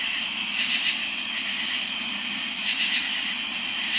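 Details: Steady shrill cricket trilling fills a summer night, joined by katydid calls, brief grating bursts of two or three pulses spaced about two seconds apart.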